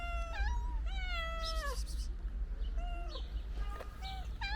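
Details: Stray ginger cat and companions at pate food, several clear drawn-out meows that bend downward at the end, one after another, with constant low rumble beneath.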